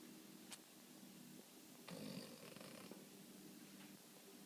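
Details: A Boston Terrier snores softly while napping after a morning of waking up, a low rattling breath with a brief louder snort partway through.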